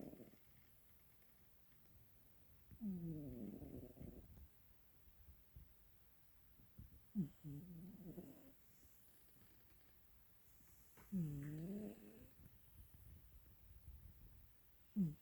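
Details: A sleeping pet cat snores at home in Pelham, Ontario, on April 8, 2022: low, throaty, rasping breaths with a slight wavering tone, recurring roughly every four seconds, with quiet pauses between.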